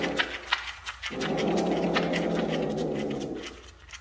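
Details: Bengal cats Ash and Yuki during mating, kittens expected in 65 days; a low, rough, growling yowl swells and holds for about two and a half seconds before fading, with scattered clicks and knocks in a room.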